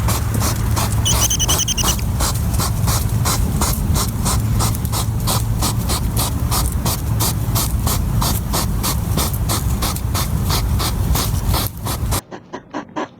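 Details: On a summer night in a garden, a European hedgehog snuffles rapidly while foraging, a steady run of breathy, almost mechanical sniffs.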